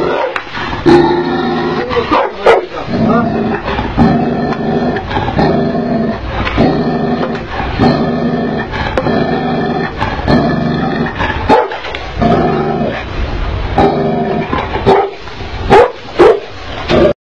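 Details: Angry Tibetan mastiff barking continuously in deep, harsh, harmonic bursts with growling undertones, a steady barrage lasting over fifteen seconds with brief gaps and a few sharp clicks.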